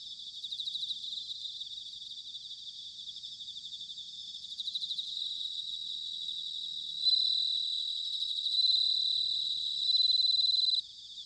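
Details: Several bell crickets singing on an autumn night in Sanuki, Chiba, Japan: continuous high ringing trills, with repeated bright bell-like phrases that swell and stop abruptly, several rising and falling in loudness.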